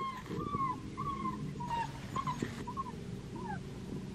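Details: Soft, thin whining from a black tri female Australian Shepherd puppy at Fifteen Acre Farms, Oklahoma, out of Henryetta and Dublin: drawn-out whistled cries, several in a row, heard faintly over a steady low hum.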